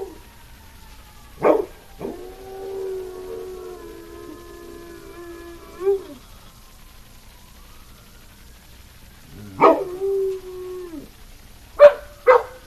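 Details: Dog howling at a passing fire truck: a long, even howl of about four seconds ending in a waver, then a second shorter howl and a few sharp yips near the end, over faint siren tones.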